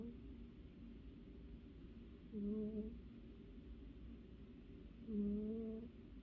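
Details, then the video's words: Cozy house cat asleep and dreaming, giving two drawn-out snores nearly three seconds apart, each a low tonal hum with a faint whistle above it, against a steady quiet indoor hush. "Snoring kitty"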